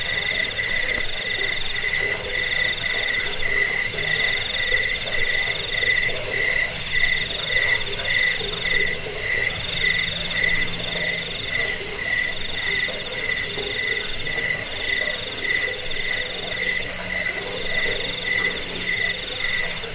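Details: Chirping crickets, jangkrik, offered as a rat repellent, sleep aid and bird-training recording: a steady, high, rapidly pulsed chirping with a lower wavering trill beneath, about one and a half pulses per second, continuous throughout.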